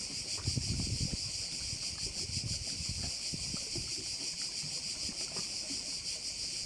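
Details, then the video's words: Chorus of crickets over a bay in Korčula, Croatia, a steady high-pitched buzzing that swells and fades roughly three times a second, while soft low rumbles of wind or distant movement sit underneath. "Korčula - view of one of the bays in Korcula with sounds of crickets"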